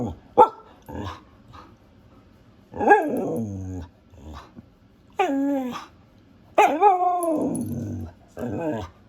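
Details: A female Siberian husky gives sharp barks and drawn-out, wavering howl-like 'talking' vocalizations.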